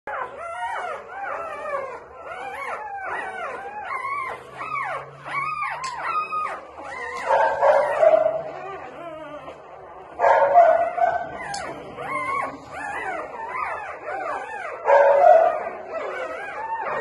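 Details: Newborn Labrador Retriever puppies crying in a dense, overlapping chorus of short high whines and squeals, several voices at once, with rapid repeated arched cries and a few louder yelps near the end.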